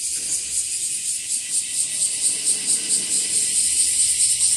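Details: A loud bear cicada (washi-washi) chorus from a season of rising numbers, with cicadas in trees and grass. A grinding, high-pitched buzz swells in quick regular throbs, about two per second, and continues without pause.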